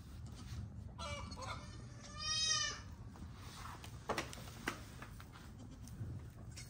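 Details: Pygmy goats on a farm in Knoxville, Tennessee, with newborn kids joining the herd; one high, wavering bleat of about half a second stands out against steady low farmyard rumble, with a few sharp knocks afterward.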